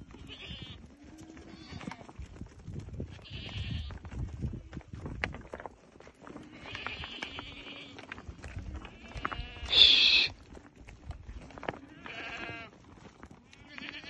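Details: Thirty goats with three young bleat repeatedly, short nasal cries recurring every second or two, one sharper and louder call near the middle, over a dense bed of movement and scraping.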